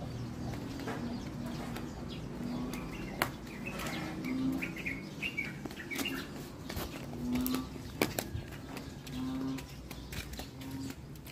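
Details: In the Philippines, an Asian banded bullfrog (Asian painted frog) gives low, droning, moo-like moans in short bursts about every two seconds, with scattered clicks and soft higher chirps in the background.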